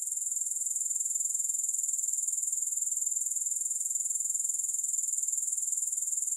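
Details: Unbroken, shrill, rapidly pulsing trill from grasshoppers, even in loudness throughout, with no music or other sounds.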